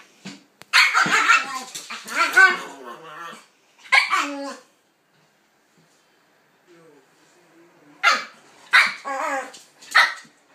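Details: A Pitbull and a King Charles Spaniel playing together. Loud bursts of sharp, harmonic barking and yapping come in three bouts, separated by a long quiet gap in the middle.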